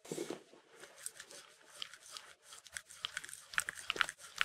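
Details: Mindy, a Shetland Sheepdog, licks peanut butter indoors; wet smacking clicks come in quick irregular bursts, sharper and denser toward the end, with quiet pauses between licks.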